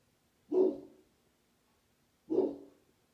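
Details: A Rottweiler gives two deep, gruff, booming barks about two seconds apart, a defensive warning at a scary smiley-face balloon.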